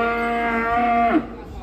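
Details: Steady, drawn-out cow moo on an even tone for about a second, then breaking off with a quick downward slide, from a cow stepping off a truck to join a contest.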